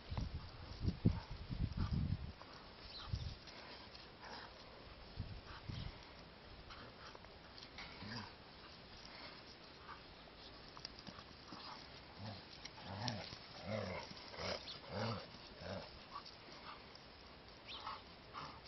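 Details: A Gordon Setter hunting dog busy with a toy: a few loud scuffling thumps at the start, later a faint run of short, whiny whimpers roughly once a second.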